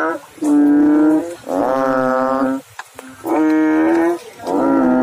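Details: Frog in water producing loud, sustained, tonal croaks with strong overtones, each about a second long, separated by brief pauses, one note rising slightly at its end.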